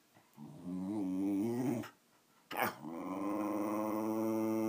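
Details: Thirteen-year-old Patsy, a female Wire Fox Terrier, gives a wobbling growl. A sharp knock breaks it, and then a long steady growl follows.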